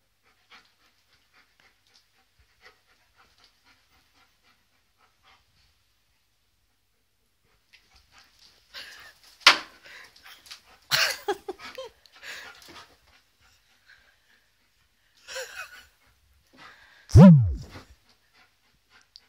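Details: Rocket, an Alaskan malamute puppy, reacting to a birthday balloon indoors: near-silence at first, then bursts of panting and snuffling, and finally one loud, harmonic whine that slides sharply downward.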